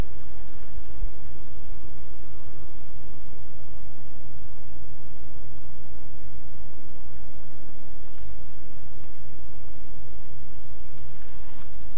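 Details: Steady low rumble and broad hiss fill the whole recording, with no distinct calls or barks standing out.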